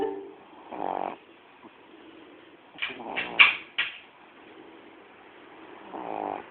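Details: Coco the dog asleep at home: two short, throaty snores frame a cluster of brief, higher squeaky noises in the middle.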